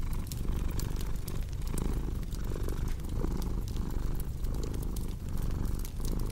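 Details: Low, throbbing purr of a house cat pulsing in breath-length waves, with fireplace crackling and small snapping sounds layered over the rumble.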